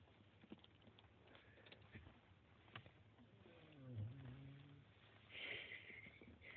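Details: A dog snores in its sleep: one low, buzzing inhaled rumble with rising overtones midway, then a short airy hiss of breath, over faint rustling.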